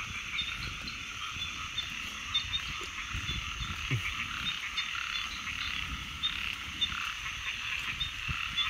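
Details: A chorus of frogs: a steady, shrill, buzzing wall of calls, with scattered short, low croaks and clicks breaking through irregularly.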